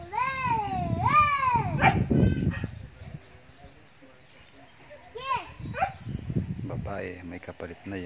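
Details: Goats from a small herd that is starting to grow: several loud, wavering, quavering bleats in the first two seconds, then more bleats around five and seven seconds, over low rumbling background noise.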